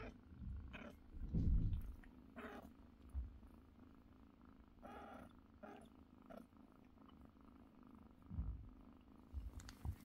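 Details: Mother cat purring while feeding her kittens indoors: a steady low rumble runs throughout, broken by short thin mews from the kittens and a few soft thumps and rustles.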